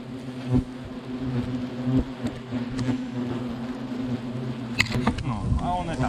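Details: Agitated European hornets during removal of their nest, hidden under styrofoam in a smokehouse chimney in a gazebo. A steady low droning buzz with layered harmonic tones runs throughout, broken by sharp clicks, knocks and scraping handling noises.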